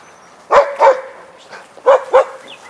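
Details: Vizsla dogs Biscuit and Jericho barking during a playtime session in their den: four sharp barks in two quick pairs, the pairs over a second apart, with faint bird chirps behind.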